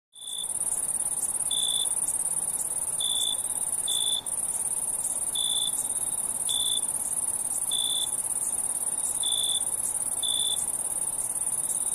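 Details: Night-time crickets chirp in short, bright bursts over a steady, very high-pitched insect drone.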